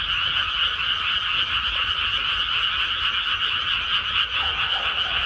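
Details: Chorus of many frogs in a freshly planted rice paddy, fast rattling croaks pulsing about four times a second, layered into a continuous high wall of sound with no other noises.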